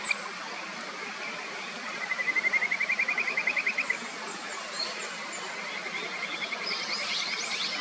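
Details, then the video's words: In the upper Natori River near Sendai, Japan, a Kajika frog gives a two-second run of quick, even pulses, later followed by a fainter trill. Rushing stream water runs throughout, with brief high chirps mixed in. "清流の歌姫 カジカガエルの鳴き声 歌合戦"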